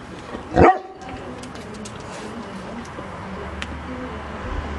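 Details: Liver-nosed Rhodesian Ridgeback dog barking on command: one short, sharp bark near the start, then a quiet room hum.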